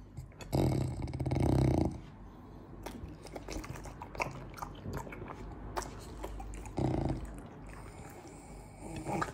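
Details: French Bulldog Morty polishes off a fruit plate in a small room. Low grunting snorts open the sequence and come back near seven seconds, with steady, clicky, wet chewing and crunching between them.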